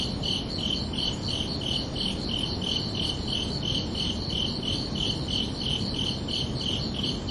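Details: Crickets chirping under a night sky on a summer evening: steady, bright, pulsed chirps repeated about three times a second without pause, over a constant low rumble of background noise.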